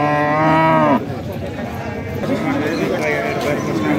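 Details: Cattle at a weekly cattle market in Gazipur where local and foreign cows and calves are sold: one deep, drawn-out harmonic moo of about a second, then a steady din of crowd voices and market bustle.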